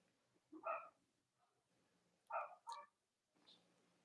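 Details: Cavalier King Charles Spaniel puppies filmed on a live puppy stream on a chilly Monday morning: a single whiny yelp, a quiet gap, then a rapid double yelp, with soft room noise.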